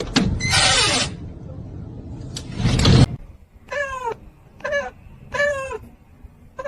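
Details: Kitten meowing indoors: after about three seconds of loud rustling and handling noise, three short, high, arched meows come in quick succession, each rising then falling, spaced under a second apart, with quiet room noise between them.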